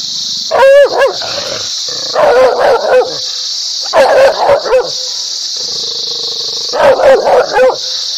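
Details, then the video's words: Dog barking in three bursts of two to four sharp, loud barks about every three seconds, over a steady high-pitched whine or hiss that runs throughout. "Dog barking happy ,agrassive, loudly,angry"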